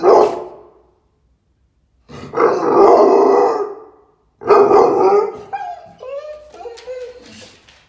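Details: American Staffordshire Terrier, a female, showing excitement: a short bark, then two long, rough, howling barks, followed by high whining yelps that rise and fall.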